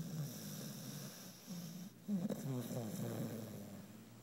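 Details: Female puppy named Alli, worn out after a fun day and knocked out asleep, twisted up and twitching behind another dog: low rumbling snores in uneven breaths, with a louder snorting burst near the middle.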